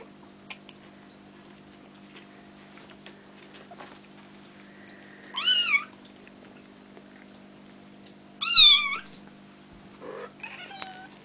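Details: Bengal kittens nearly five weeks old, Ariel and Dream's litter sired by Sambuca, at play; three loud, thin, bending mews sound several seconds apart amid soft scuffling clicks and a constant background hum.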